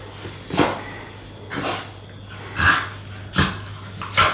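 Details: English Staffordshire Bull Terrier puppies, a bonded pair, playing together; five separate rough, breathy bark-like bursts sound about once a second, with quiet gaps and a faint low hum between them.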